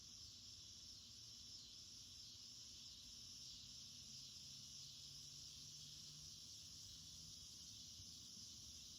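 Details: Cicada chorus in a garden in August, going throughout the day; a steady, unbroken high-pitched buzzing drone with a faint low hum beneath.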